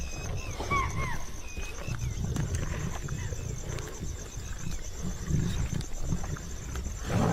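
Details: Asiatic lions of a pride with cubs growl in deep, rough rumbles while crowding a freshly caught spotted deer kill at a field edge in India, with brief high whistled calls early on.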